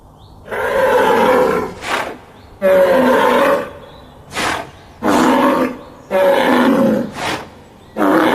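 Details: A raging bull roars in rough, harsh bursts, each followed by a short noisy breath, repeated about every two seconds.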